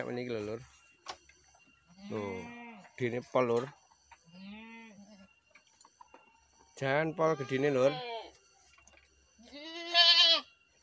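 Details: Kacang goats kept in a remote pen for breeding. Several wavering, quavering bleats come in short bursts across the recording, some overlapping, and a man's speech is mixed in between the calls.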